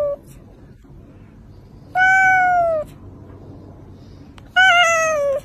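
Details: Pet cat meows twice, about two and a half seconds apart. Each call is a drawn-out, tonal mew that dips slightly at the end, with a quiet indoor background between calls.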